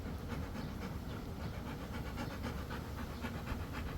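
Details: Rottweiler panting while catching a ball: quick, breathy, rhythmic bursts of air, about five or six a second and steady throughout, over a low rumbling background noise.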